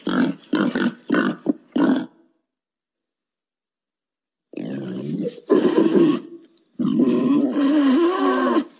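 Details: Wild boar calling to mate: a quick run of five short harsh grunts, then silence, followed by longer rasping, wavering squeal-like grunts with a rising and falling tone.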